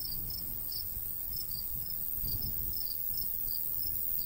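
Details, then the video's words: Summer countryside crickets by a golden wheat field keep up bright, brief chirps at a lively, slightly uneven pace, backed by a gentle low murmur of breeze. "cricket sounds"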